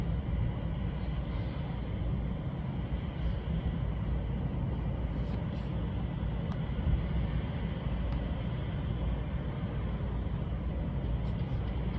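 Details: Continuous low, even rumble like distant traffic or machinery, with no calls or other animal sounds.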